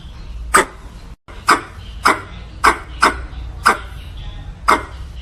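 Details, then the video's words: A squirrel calling for a mate gives six harsh, clipped barks spaced about half a second to a second apart, each a quick burst with a short tail, over faint low background noise. "Tiếng Sóc Bông gọi bạn | The Sound of Squirrels"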